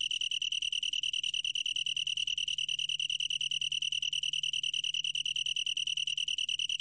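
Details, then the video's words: Long-tailed tree cricket, 2020 recording, giving an unbroken high trill whose rapid pulses are distinctly audible as a fine, even throb, roughly three per second, steady across the clip. "긴꼬리, 여러번 듣기, 곤충소리"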